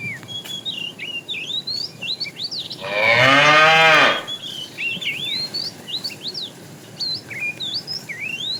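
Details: Morning herding of tame cows to grassy fields; a single moo of about one second, dropping slightly in pitch, amid constant bright chirps and trills of songbirds.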